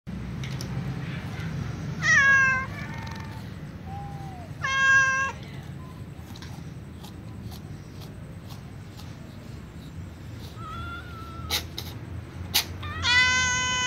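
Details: Calico cat meowing, followed by a young white cat, before eating with other cats indoors; several harmonic meows, some falling in pitch, spaced a few seconds apart, over a low background hum with scattered clicks.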